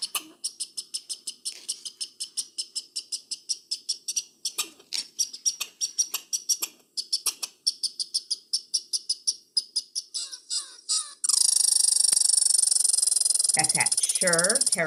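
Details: Played-back territorial chatter of a red squirrel, from a Mass Audubon program on chipmunks and squirrels: a long, steady train of short sharp clicks at several per second for about eleven seconds, then a loud sustained high tone with other sounds.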